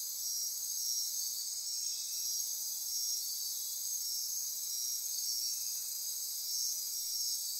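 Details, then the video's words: Midnight insect chorus in rainforest on Costa Rica's Osa Peninsula near Corcovado National Park: a constant high shrill buzz with overlapping pulsing trills and ratcheting tones, unbroken for the whole stretch. "Midnight Insect Chorus"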